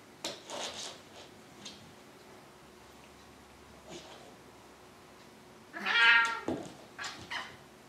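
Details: Indoor Maine Coon from a household of two, ten-year-old Triton and kitten Alexander, gives one clear, high, tonal meow that swells and fades, with a few softer chirps and faint room sounds around it.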